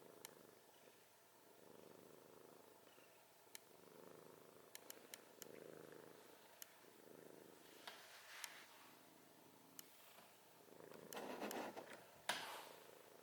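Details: A cat snoring with gentle raspy breaths repeating every one to two seconds, with scattered small clicks and a louder rustle near the end.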